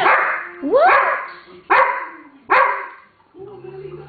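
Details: 27-day-old puppies from Lola's litter playing and interacting with each other: a few short, sharp yelps and yips in quick succession, the first sweeping upward, followed by a lower, steadier voiced sound.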